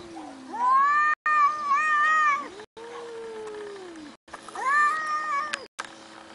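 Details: A cat calls repeatedly in long, wavering meows, one sliding downward, with quiet pauses between the calls and little background noise.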